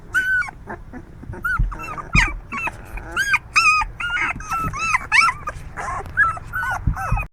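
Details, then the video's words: Puppies making noise and moving a lot: dense, overlapping high-pitched whines and yelps, many arching up then down, from several pups calling almost continuously, with light thumps and rustling underneath. "puppies are good today too, making noise and moving a lot"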